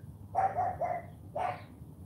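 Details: Cane Corso puppy Charme, AKC registered, barks on command in a morning training session, giving a rough, throaty run of three quick pulses followed by one shorter bark, with faint low rumble behind.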